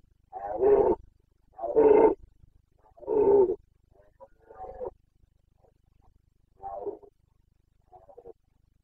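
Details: Red deer stag of the Carpathians in Bucovina, rutting on 29 September 2022: a series of six rasping roars roughly every second, the first three loud and the later ones weaker and shorter, in a quiet setting.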